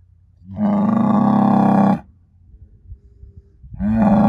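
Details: Herd sire Angus bull born spring 2018, son of SAV Harvestor 0338, bellowing a long even moo lasting about one and a half seconds, then a quiet pause before a second moo begins, rising in pitch at its onset.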